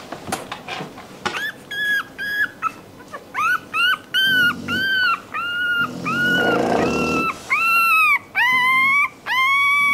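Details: Crying puppy whines in a long sequence of high, arched whimpers, steady and repeated about once a second, with a brief muffled murmur partway through.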